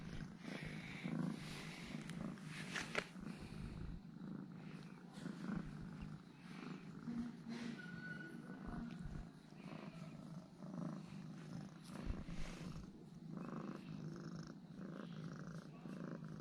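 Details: A normally aloof domestic cat purrs, acting cuddly and affectionate after eating two ham sausages; a soft, low, continuous rumbling purr runs throughout, with faint handling noises and a few brief clicks.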